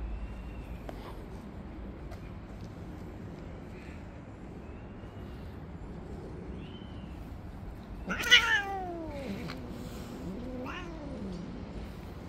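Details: Jealous tabby cat among stray street cats, driving off others that come near; an abrupt harsh screech bursts out, followed by wavering, falling whines over a quiet, rumbling outdoor background.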